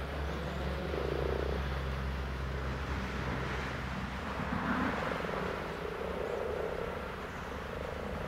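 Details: Common frogs give soft, low, purring croaks in bursts of about a second, repeated several times. A steady traffic-like rumble runs underneath.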